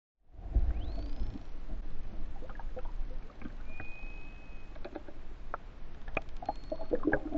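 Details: False killer whales of the endangered main Hawaiian island population attacking mahimahi off West Oahu during research; thin rising and flat whistles plus scattered click trains over low rumbling water and boat noise.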